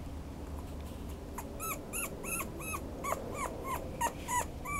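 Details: Toy Poodle giving high, arched whimpering yips, each a short rising-then-falling whine, repeated about three times a second in an uneven series, over a low steady background hum.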